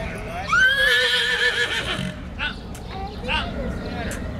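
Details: Horse at Greenfield Village in Detroit, Michigan, running around excitedly in its enclosure, gives one loud whinny lasting about a second and a half. It starts high, then falls and wavers. People talk and exclaim close by afterwards.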